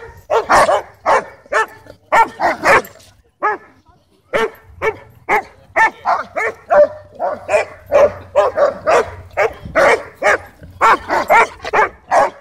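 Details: Ball-guarding German Shepherd, aggressive toward other dogs over toys at a dog park, barks insistently for the ball as Bodhi provokes it playfully; a long, steady run of loud, evenly spaced barks, roughly two per second.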